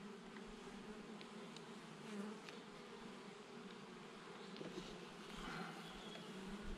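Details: Western honey bee colony humming during a hive inspection at an apiary in June 2021, before the summer honey flow; a soft, steady, low buzzing drone throughout, with faint clicks and rustles of hive handling.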